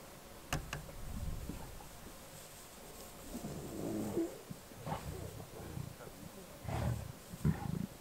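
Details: Lions killing a wildebeest in and around Kruger National Park, South Africa, recorded on a game drive. Low, rough growling bursts rumble near the middle and again toward the end, with sharp clicks and faint outdoor background noise.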